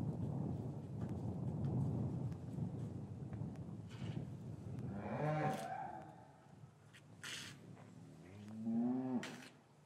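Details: Cows in a traditional English cattle yard on a winter afternoon, after the calves had been separated from their mothers, recorded with a matched pair of Rode M5 microphones: two long, deep, rising-then-falling moos after a low rumbling background.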